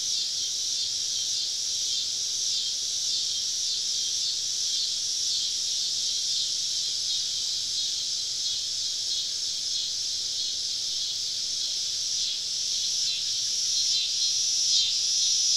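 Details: Southern woodland on a summer evening, cicadas massed around a camp: a loud, sustained sizzling drone with repeated pulsing surges, swelling louder toward the end.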